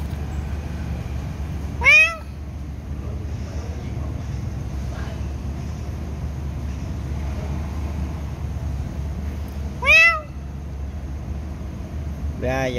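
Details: A cat meows while kittens are being fed: two clear, drawn-out meows about eight seconds apart, each bending upward then down, over a steady low rumble of background noise.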